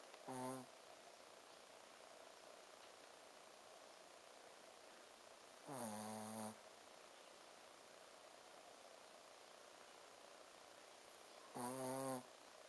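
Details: Ponzu the Shih Tzu sleeps soundly, giving drawn-out 'buu' snores: three short buzzing, humming breaths about every five to six seconds, with a steady soft background hiss between them.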